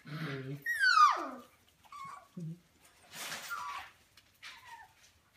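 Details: Golden Mountain Doodle indoors with four-week-old puppies, which are said to be probably hungry: a high whine sweeping down in pitch, then short squeaks and soft whimpers between a woman's speech and rustling.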